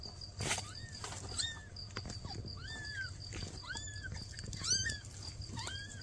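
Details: Around newborn kittens whose mother cat is asking for help: a steady series of short, thin, high mews, about eight in six seconds, quiet against a low background rumble.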